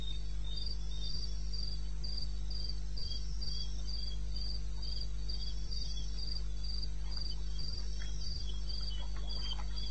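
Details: Wild crickets in eastern Botswana at 2:30 a.m. on 21 May '16 keep up a fast, very regular high chirping, close to four pulses per second, laid over a deep continuous hum with light ticks near the end.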